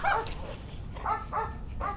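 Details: During a training session, Warwolf the Belgian Malinois lets out a sharp yip, then a pair of close, whining yelps and one more near the end, over low room rumble.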